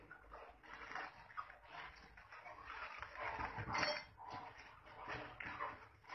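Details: Wild boar; fighting calls; aggression during a fight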